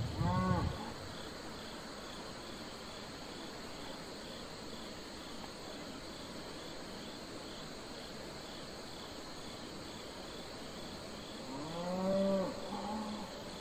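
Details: Domestic cattle on a farm: a short moo at the very start, about ten seconds of quiet rural background with crickets, then a second longer moo rising and falling near the end.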